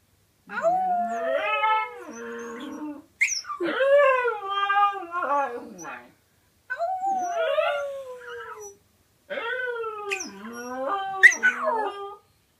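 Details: Lily the dog howls randomly in four separate bouts, each a wavering, falling-then-rising tonal wail with rich harmonics, broken by short silences.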